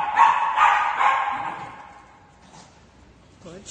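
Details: Sky, a fluffy male Shih Tzu, reacting excitedly on hearing he is going to Dog Dayz daycamp: three quick, sharp barks about half a second apart, then fading into quiet room noise with a faint voice at the end.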